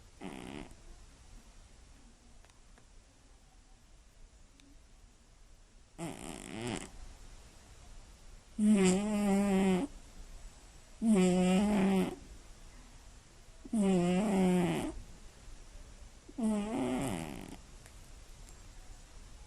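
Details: A Scottish Fold cat snoring loudly while asleep at night indoors. After six quiet seconds come five buzzy, rasping snores, each about a second long with stacked harmonics. They repeat roughly every two and a half to three seconds.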